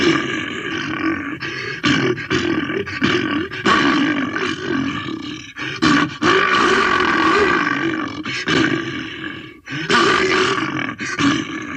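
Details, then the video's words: Bear letting out near-continuous guttural roars and grunts, loud and raspy, broken only by short breaths, with the rumbling rising and falling in waves throughout. "Bear Roars Sound"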